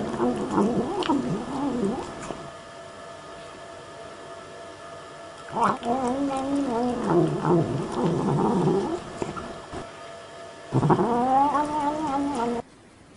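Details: Cat giving long wavering meows and yowls, several drawn-out calls that bend up and down in pitch, one after another with short pauses, the last a loud rising-falling wail.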